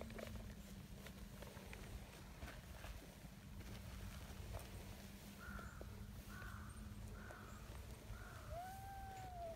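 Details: Friendly silver tabby community cat coming over to greet and be petted; a few soft, short arched meows in the second half, then one longer falling tone, quiet over a steady low hum and outdoor background.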